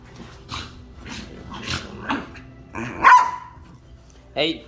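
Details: Pet dog playing with other dogs and being taught to play less aggressively; several short yelping barks, one loud rising bark near the end, with a woman's voice speaking nearby.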